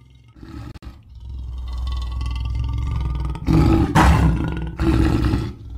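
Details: Low, continuous rumbling growl from a lion that swells into three harsher, louder roaring bursts toward the end.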